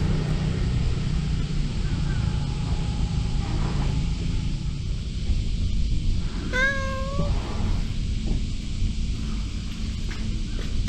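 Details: A single rising-then-falling meow from Mr. Nipper the cat, a brief tonal cry midway through, set against a constant low droning hum with no other voices.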